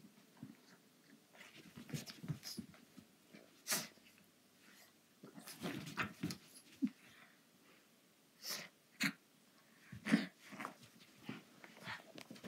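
A pug puppy snorts, wheezes and grunts in short, breathy bursts.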